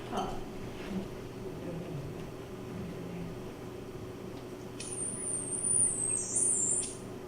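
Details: A killer whale (Orcinus orca) gives a narrowband whistle, a thin, high tone that glides slightly down and back up, over room hum.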